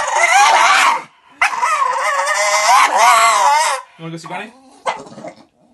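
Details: Jinx the blue Staffordshire Bull Terrier, a female dog, mid-tantrum with loud drawn-out whining howls that waver up and down, followed by shorter, lower grumbling yelps before falling quiet.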